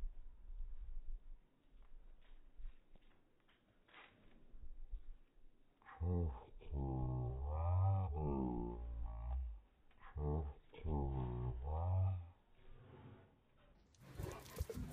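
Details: A Cane Corso searching for the cat gives deep, drawn-out moaning vocalizations that rise and fall in pitch.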